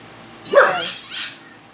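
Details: Dog barking in reaction to strange noises: one sharp, loud bark followed by a softer, higher echoing yelp, heard close up.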